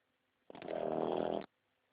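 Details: Sleeping pug snoring: one rasping, rattly breath lasting about one second, harsh and pulsed, with quiet before and after.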